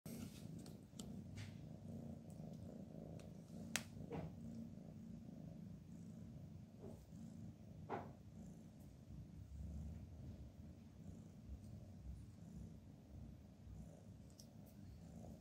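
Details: Cats sleeping with their heads stuck together; a steady low rumbling purr runs throughout, quiet, with a few faint clicks and soft rustles.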